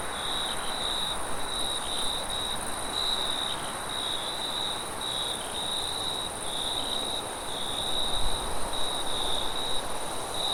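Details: Forest crickets calling at night, rapid repeated high chirps forming a near-continuous trill, while gusty wind adds a heavier low roar that strengthens toward the end.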